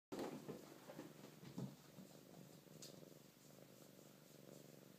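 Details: Maple, a Siamese cat, purring while the others play around her: a steady low rumbling purr throughout, with a few soft thumps and rustles near the start.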